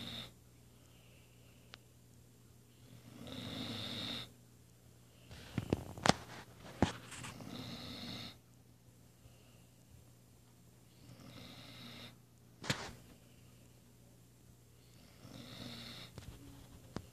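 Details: A female Weimaraner, napping after a morning workout, snores in slow, raspy rounds, one long breath roughly every four seconds.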